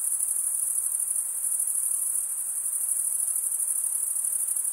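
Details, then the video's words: Stridulating male crickets fill the air with a continuous thin, shrill trill, rapidly pulsing and barely varying, against a faint low hiss. "Most relaxing cricket sound for 8 hours"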